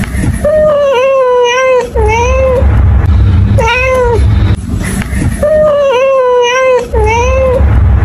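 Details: Cat meowing five times in about eight seconds: long, level, harmonic-rich meows, some drawn out with a slight dip and rise, others short and arched, over a steady low rumble and a faint high whine.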